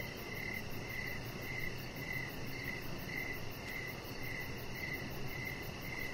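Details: Evening crickets near a deck where a chihuahua named Rocket rests; clear pulsed chirps at a steady high pitch recur roughly every half second above a low rumbling ambient noise.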